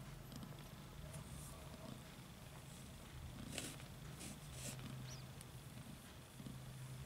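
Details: Kittens fighting over their mother's milk while nursing. A low, steady rumbling purr runs through most of the clip, with faint rustling and scattered soft clicks above it.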